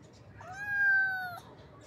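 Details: Kitten giving a single clear meow, just under a second long, drawn out at a steady pitch with rich harmonics before tailing off; faint low background rumble.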